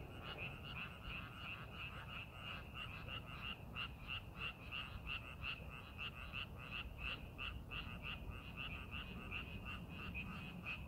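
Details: Frog chorus in rice paddies during farming preparation, many short rasping croaks repeated about three per second, blending into a continuous pulsing trill over faint low-frequency background noise.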